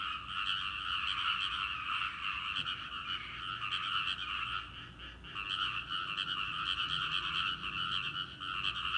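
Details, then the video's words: Frog chorus in a rice paddy, a seasonal sound: dense, continuous trilling croaks from many frogs in two bright overlapping bands, swelling and easing slightly around the middle but never stopping. "カエルの合唱！】季節の風物詩、カエルの鳴き声 人の気配でピタリと止んで"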